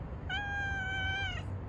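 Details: Domestic cat giving a single drawn-out meow, steady and clear with many harmonics, about one second long, over a low background rumble.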